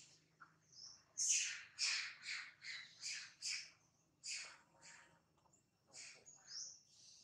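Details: Monkey, described as scared and in a terrible mood with a camera around, gives a run of harsh, high, screechy squeals, about ten bursts in seven seconds, each short and noisy.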